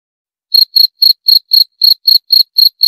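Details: Cricket chirping in a clean, dry recording: after half a second of silence, about ten short high-pitched pulses follow at an even pace of roughly four per second. No other sounds.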